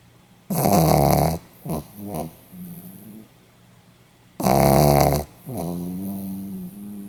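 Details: Pomeranian snoring on 8 November 2015: two long, loud, buzzing snores of nearly a second each, each followed by shorter grunting exhales that trail off into quiet.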